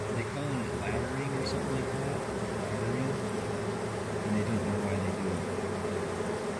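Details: Calm swarm of honey bees climbing from a leftover branch into a hive box, queen already inside; dense, even buzzing drone with faint wavering tones woven through it.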